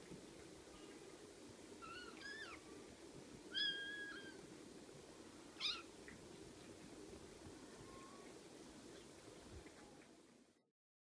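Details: Several high, wavering mews from 6-week-old Ocicat kittens, spaced a second or two apart through the middle, one with a sharp bright onset, over a low steady background hum that ends in silence.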